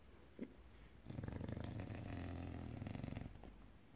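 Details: Sleeping English bulldog Enzo gives a long, throaty, vibrating snore of about two seconds, low and rattling, preceded by a brief soft snort, in a quiet room.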